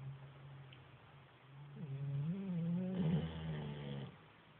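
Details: Sleeping chocolate Labrador Retriever snoring: a low droning hum that swells midway into a wavering, groan-like tone, then settles and fades, in a quiet room.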